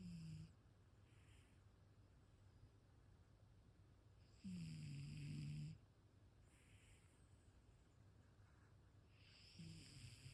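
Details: Ragdoll cat snoring while asleep: slow, soft breaths repeated every few seconds, each a low rasping rumble with faint higher hiss, over a steady background hum.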